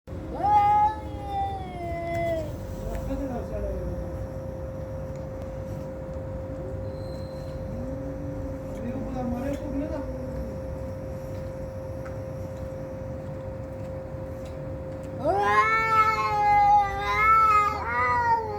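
Fighting cats let out drawn-out, warbling yowls that swell and waver in pitch, loudest at the start and again near the end. A constant hum and some lower muttering sounds run underneath.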